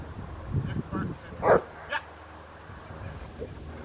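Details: Young female Rottweiler, 13 months old, in protection training in April 2021: a few low grunting sounds, then one strong bark and a shorter follow-up bark, with faint handling noise.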